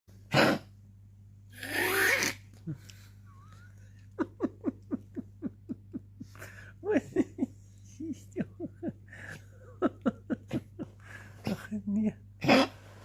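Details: Tutu, an old female dog with a long-standing cough, making a new, strange sound at night. Loud snorting bursts give way to a rapid train of short, sharp huffing pulses, roughly two per second. A person murmurs soothingly throughout.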